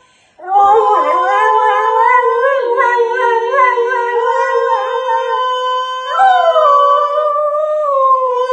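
A Cocker Spaniel howls in a long, wavering, tuneful line over a steady musical tone.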